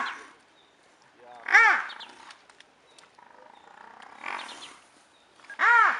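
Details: Brown hyenas fighting in Madikwe, one an intruder in the wrong territory; two sharp, rising-then-falling squealing yells stand out, with softer rasping and low murmuring between them.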